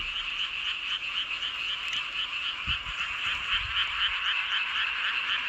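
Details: Frogs calling together beneath a full moon at Seowon-myeon, Hoengseong County, Gangwon Province, Korea; many rapid croaks pulse about four times a second over a constant chorus, with a couple of dull low thumps partway through.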